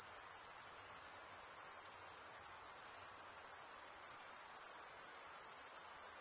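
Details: Steady high-pitched chirping of crickets, produced by males rubbing their wings together; rapid pulses blend into one unbroken shimmering trill with faint background noise.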